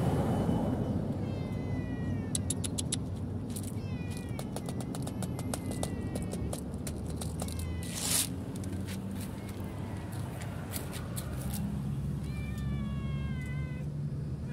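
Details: Abandoned pet cat left by the side of a road with no food source, meowing in drawn-out, slightly falling cries at irregular intervals, with sharp clicks and taps and a steady low rumble beneath.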